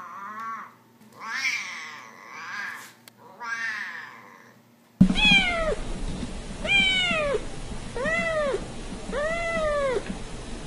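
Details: Domestic cat meows gathered to draw cats closer: muffled, overlapping mews first, then four clear arching meows spaced about a second apart, each rising and falling.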